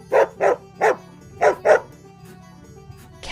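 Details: Farm dog barking five times in quick succession, short sharp woofs spaced roughly a third of a second apart with a brief pause after the third, then quiet background music.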